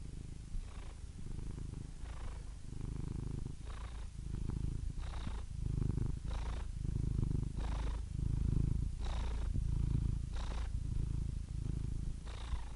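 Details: Sustained low purring by a cat, a rumbling drone that rises and falls in breath cycles about every one to one and a half seconds, with brief airy inhalations between.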